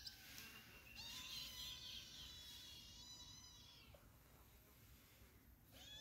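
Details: Kitten giving one long, drawn-out meow of about three seconds, steady and tonal, dropping at the end, over a soft background hiss.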